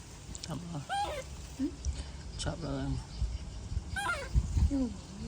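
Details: Baby monkey throwing a tantrum as its mother leaves: short, wavering, whimpering cries in bursts, some dipping and others rising, separated by brief pauses, over a low rumbling background.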